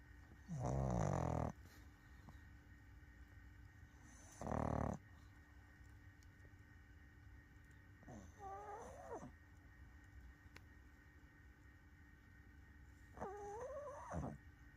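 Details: Sleeping pug snoring: four snores about every four seconds. The first two are loud, rasping, broadband breaths. The later two are softer, with wavering whistled nasal tones over a steady low hum.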